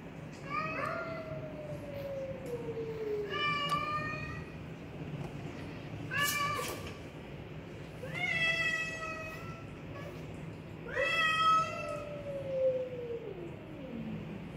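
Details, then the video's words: Black Persian cat caught in a heated cat fight: repeated harmonic meows, some short and flat, others long and sliding downward, spaced a few seconds apart, with occasional brief clicks and a low steady hum beneath. "Feline Debate: When Meows Get Intense!"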